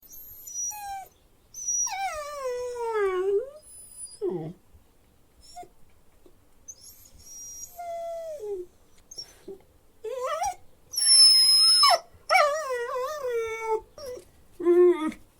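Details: Dog whining: a series of drawn-out, high nasal whines with rich overtones, each sliding downward in pitch and lasting one to two seconds, separated by short pauses, with a few brief squeaky yelps between them.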